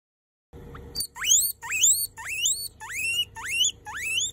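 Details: A baby guinea pig says hello with loud wheeks. Seven squealing whistles sweep sharply upward, coming in quick succession about every half second after a short quiet start.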